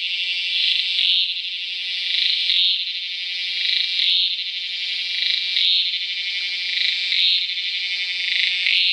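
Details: Peninsular Malaysia, 11 May 2014: a Tacua speciosa cicada calls with an unbroken, piercing buzz whose loudness pulses at a steady rhythm of about forty swells per minute.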